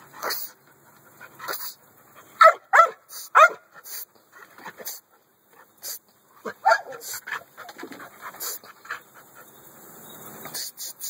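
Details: American Staffordshire Bully dog at a kennel, giving a quick cluster of three or four short, sharp barks near the middle, with softer whimpers, huffs and panting-like breaths scattered before and after.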